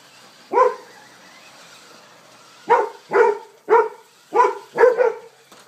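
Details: Golden Retrievers playing against a remote-controlled car: one loud bark, a pause of about two seconds, then a rapid string of five excited barks, with a faint background hiss.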